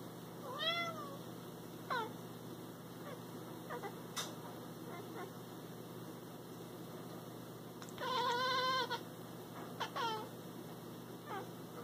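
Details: Cat (Felis catus), chirping meows: calling toward prey.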